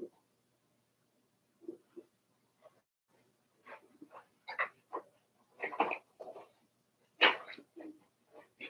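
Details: Four-week-old Cavalier King Charles Spaniel puppies of Daisy's litter in their pen, giving a loose series of short squeaks and yelps that grow louder and denser toward the end.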